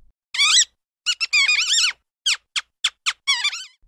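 A mouse gives a quick run of shrill, wavering squeaks, about ten short bursts in under four seconds, some bending up and down in pitch.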